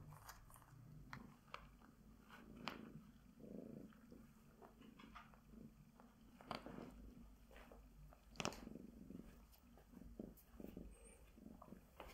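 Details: Female Bengal tabby cat purring during glove grooming; a soft continuous low purr runs beneath frequent sharp clicks and rustling strokes.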